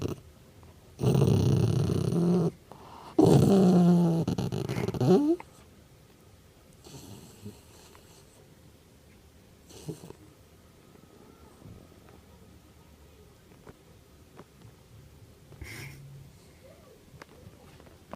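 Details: Pet dog making playful, funny growling noises: two low, rough rumbling growls of about one and a half and two seconds in the first five seconds, then near quiet with a few faint clicks and rustles.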